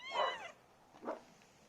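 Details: A cat that comes every night, hungry, gives a plaintive meow: one loud harmonic-rich cry rising then falling over half a second, followed by a short softer second meow.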